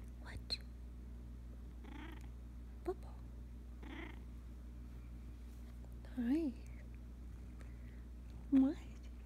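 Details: A chatty Russian Blue house cat talking: a few short trilled chirps and two rising-falling meows near the end, with soft breathy sounds and quiet Dutch speech between calls over a steady low hum.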